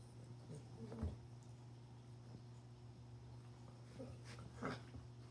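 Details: A 9-month-old female Frenchie pug (frug) puppy, playing alone with a ball, gives a few short, soft whimpers and grunts over a steady low electrical hum.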